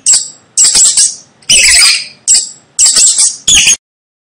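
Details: A rat gives six high, scratchy squeaks spaced roughly half a second apart, some clipped and short, one drawn out and wavering, before falling silent.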